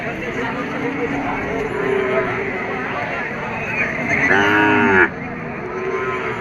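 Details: Bulls for sale at a busy livestock market, a loud, short bellowing moo bursting out near the end over a constant murmur of crowd voices and haggling.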